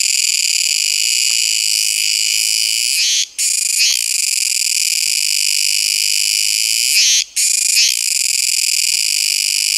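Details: Kuroiwa tsukutsuku cicada giving a loud, continuous high-pitched buzzing drone with rich harmonic bands, cut by two brief silent breaks about four seconds apart, each followed by a short stuttering restart.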